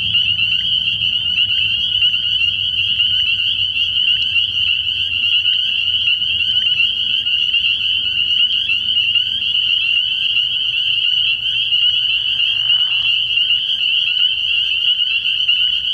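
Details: Early-year nighttime frog pond full of spring peepers, whose overlapping high, sharp peeps make a constant shrill chorus; a short lower rustle appears near thirteen seconds.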